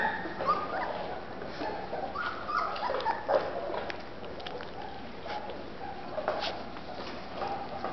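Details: Golden Retriever puppies from Terrell, Texas, giving soft high whimpers and short yips that come in scattered bursts over steady background noise, several small voices overlapping through the clip.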